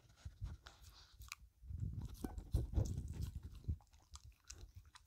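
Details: Dog named Filou chewing a cucumber snack, dense crunching and wet mastication swelling in the middle, a few sharp higher clicks early on, recorded indoors without talking.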